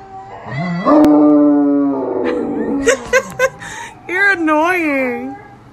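A Great Dane howls, a long rising tone followed by a wavering, yodel-like cry.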